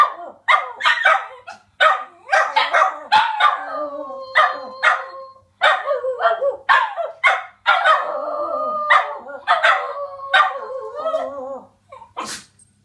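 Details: Border Terriers kept as pets joining in a howling sing-song, a run of quick barks and yips building into longer overlapping wavering howls, several dogs calling at once.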